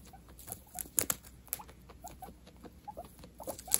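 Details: Guinea pigs at Christmas tearing into presents: quick little squeaky chirps repeat between bursts of crackling paper and light scratching in a quiet room.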